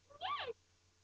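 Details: Lhasa Apso puppies at home: a single short, high whining yelp that rises and then falls in pitch, lasting about a third of a second, against a quiet indoor background.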